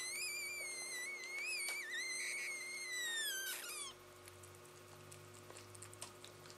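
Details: Labrador Retriever making funny noises while playing with a Rottweiler puppy: a long, high, wavering whine with rich overtones lasting about four seconds, sliding down at the end, followed by a quiet indoor room with faint soft knocks.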